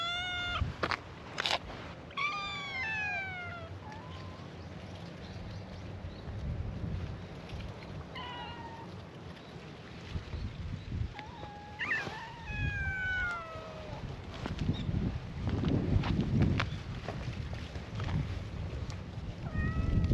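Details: Feral cats at a cat gathering on a cat island, meowing in chorus to welcome a visitor: many overlapping harmonic meows, some rising then falling, others drawn out, tumbling over one another, with low outdoor rumble underneath.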